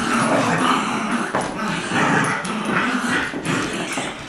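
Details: Two dogs, a two-year-old adopted Lab mutt named Colby and a six-week-old Golden Retriever puppy named Jack, playing tug of war; dense rough growling and scuffling noise, with brief higher yips over a steady rumbling layer.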